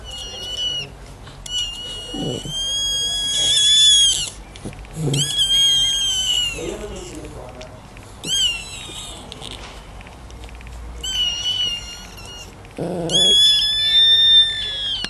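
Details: Newborn Schnauzer puppies at birth, giving high, thin, whistled squeals that rise then fall, in bursts of several calls every one to two seconds, with soft rustling between.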